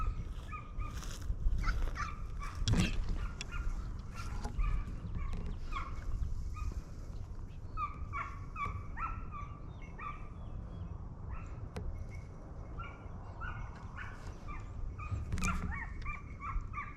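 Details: Hounds during a Turkish hare hunt at the 2023-24 season opening, giving repeated yelping barks with a strong harmonic above, several dogs overlapping at a distance, over steady low wind or engine rumble outdoors.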